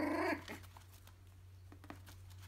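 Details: Three-week-old Yorkshire terrier puppy indoors gives one loud, harmonic yelp that rises then falls within half a second, followed by soft rustling and faint clicks in a quiet room with a steady low hum.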